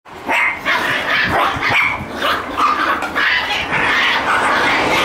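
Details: Shiba Inu puppies playing roughly together make a nearly continuous stream of rough, noisy yaps and growly barks, overlapping and bursting every fraction of a second with no pauses.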